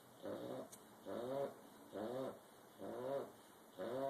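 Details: Sleeping bulldog snoring in loud rattling, wheezy bursts about once a second, five snores with a slightly rising, grinding texture and short quiet pauses between breaths.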